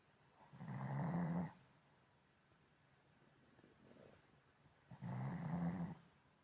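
A Shih Tzu snores in low, rumbling breaths, each lasting about a second.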